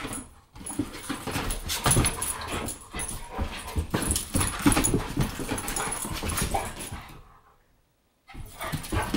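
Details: Two dogs, an American bulldog and a Boston terrier, play indoors in a small room; dense rough growls and scuffling snorts run almost continuously, then drop to silence near the end before noise resumes.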